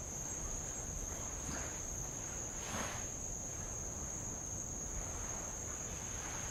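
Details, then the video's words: High, continuous insect trilling on Avalau island in Tonga, captured from a rowing boat near old lava; the shrill tone stays level as one brief wave splash rises and fades mid-clip over low water rumble. "sound of light Waves on old lava and Insects"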